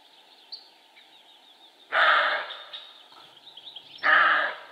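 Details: Male roe deer (Capreolus capreolus) barking: two loud, harsh, hoarse bursts about two seconds apart, each roughly half a second long, over a steady background of small birds chirping and singing.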